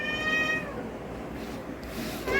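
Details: Two domestic cats, apparently strays, sitting by the gate and door ready to go outside and starting to cry: a drawn-out harmonic meow that slowly falls and fades, with a short higher mew near the end over low background hum.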